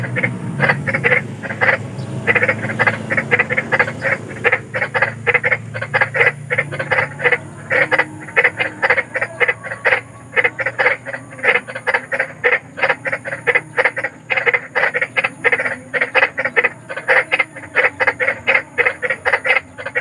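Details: Large frogs croaking after dark, a chorus of rapid, evenly spaced harsh croaks that carries on without a break over a faint low rumble, described as spooky yet soothing for sleep.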